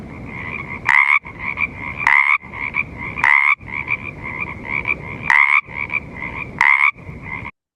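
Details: A Pacific tree frog, native to the West Coast, gives loud, raspy two-part ribbits about once a second over a softer chorus.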